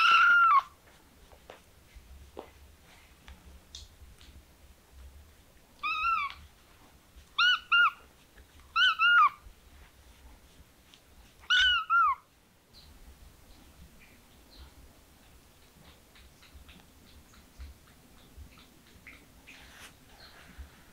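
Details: Kitten meows, one opening cry and then four short, high, arched mews spaced one to two seconds apart, followed by near silence with faint rustling.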